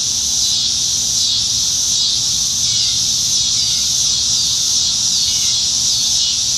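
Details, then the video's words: Cicadas singing up in the trees on a July 2019 summertime evening in Nebraska, many of them at once, forming a steady, dense, high-pitched hiss that pulses slightly about once a second. "Summertime Evenings in Nebraska - Cicadas"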